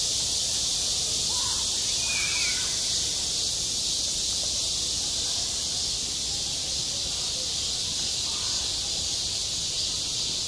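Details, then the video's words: Summer cicada chorus over a school playground, recorded firsthand: dense, steady shrill buzzing without pause, one brief thin whistle-like note early on and a few soft distant calls below. "한 여름 운동장에서 매미가 울고 있다 - 여름의 소리, 학교 종소리, 매미 울음소리"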